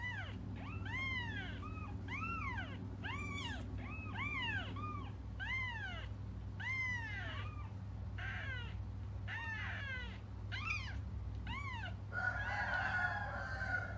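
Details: Waiting for their mother, cats cry in an almost unbroken run of high, arching mews, several voices overlapping, ending with a harsher, noisier cry; a low steady hum runs beneath throughout.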